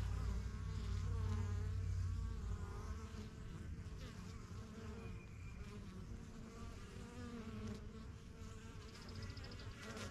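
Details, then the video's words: Honey bees around a busy yellow backyard hive, the strongest of several started in spring 2023; overlapping buzzing flights rise and fade throughout, with a low constant rumble beneath and a brief high whine near the end. "BUSY BEE HIVE AMBIENCE"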